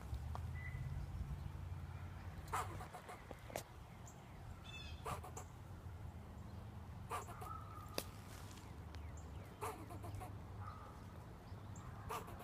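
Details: Squirrel outdoors barking at a person sitting nearby: short, sharp broadband barks spaced a second or more apart, some in quick pairs, over a steady low rumble of wind or traffic.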